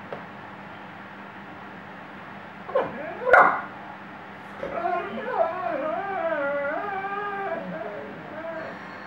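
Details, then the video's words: Shelby the Weimaraner singing, a short sharp yelp followed by a sustained, quavering howl that rises, dips and trails off over several seconds against a steady low hum. "Weimaraner singing shelby"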